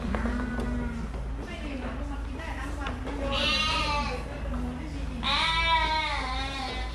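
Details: Fluffy sheep giving two long wavering bleats, the second louder and tremulous, over a steady low hum and some background murmur.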